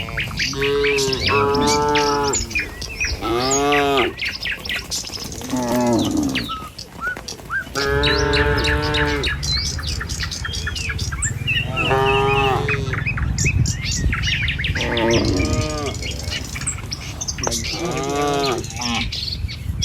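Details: Herd of tame cattle on a village road, walking in line to the pen in the morning; repeated mooing from several animals, long harmonic calls every few seconds, over constant chirping birds and soft rumbling.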